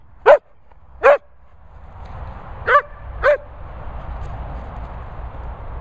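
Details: Four loud sharp barks from Barney the Sprocker spaniel at a Worcestershire training kennels, two close together, a gap, then two more, followed by hissing background noise.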